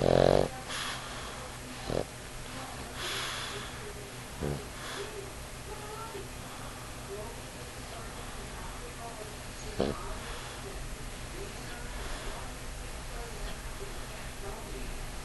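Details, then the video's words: Ula, a 50-pound pug, snores while cuddled asleep on a knee indoors; low, rough snorting breaths come in scattered bursts, with human voices talking quietly over a steady room hum. "Ula Snores On Knee"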